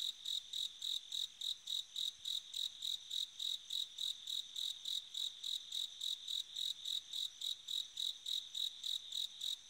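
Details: High, clear, bell-like pulses from a bell cricket on an autumn night, repeated regularly about three or four times per second over a quiet background.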